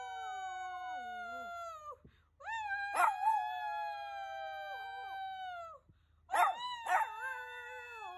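A Shih Tzu howls in long, sustained tones that waver and slide downward.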